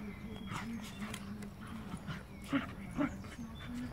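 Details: Twelve-week-old Labradoodle puppy play-fighting with a young golden retriever puppy during a play session; two sharp yips stand out near the end, half a second apart, over a steady low hum with a faint voice in the background.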